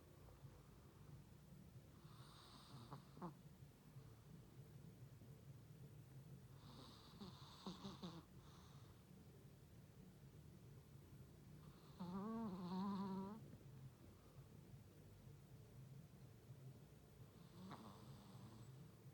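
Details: Funtik, a pet Chihuahua, snoring funnily indoors while its tongue lolls uncontrolled: raspy breathy snores in bursts about every five seconds. One louder, longer snort-like snore comes near the middle, over a low steady room hum.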